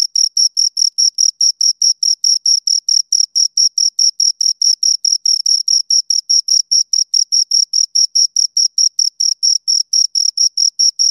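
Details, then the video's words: Shrill, evenly spaced chirps from two crickets, repeating over two times per second in an unbroken, metronome-like pattern. A clean recording with nothing else audible. "Two Crickets Chirp Sounds"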